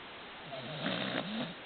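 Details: Baron, a pet dog fast asleep, gives a single rumbling snore lasting about a second. It is a low, harmonic drone that rises slightly and then falls back, against steady quiet room hiss.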